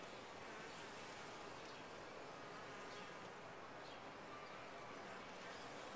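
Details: Honey bees humming in a top-bar hive, an unvarying, dense buzz that stays flat and steady throughout six seconds with no pauses.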